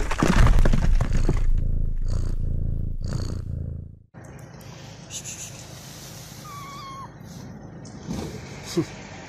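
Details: One of two hungry stray cats being fed purrs in a low, steady rumble for about four seconds. Then comes a broad background hiss with faint thin tones and a couple of soft clicks.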